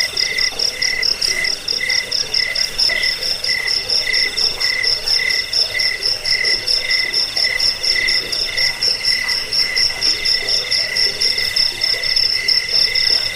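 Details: Chirping crickets meant to drive off rats, soothe sleepers and serve as songbird tutors. Bright, shrill trills pulse steadily from several overlapping insects, forming a thick, even chorus without pause, no other sounds.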